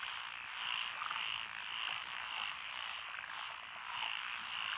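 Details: Lotus rice paddies in Echizen, Fukui Prefecture, Japan, 12 June 2021, filled with frog voices; countless overlapping croaks form a thick, pulsing chorus that rises and falls every second or so.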